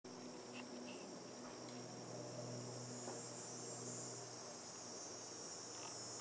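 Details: Insect calling from a tree, a steady continuous high-pitched hiss-like drone without breaks, over a low constant hum and faint scattered background clicks.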